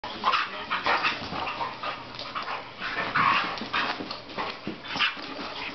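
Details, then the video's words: Two dogs playing and roaming together in a living room, giving continuous rough growling and panting noises with scuffling, a few higher whine-like squeaks mixed in. "Dog play"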